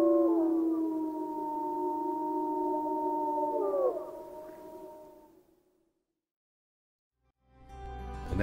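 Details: Pack of gray wolves howling in Yellowstone National Park, several smooth sustained voices layered at different pitches with slight wavering bends, fading into silence, followed by music.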